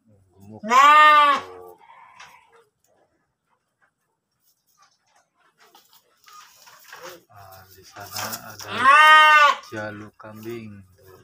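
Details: Pregnant kacang goat penned in Tanjungjaya village, Cipunagara, Subang, Indonesia, giving two loud, harmonic, wavering bleats about a second long, one at the start and one near the end, with quiet low voices and shuffling in between.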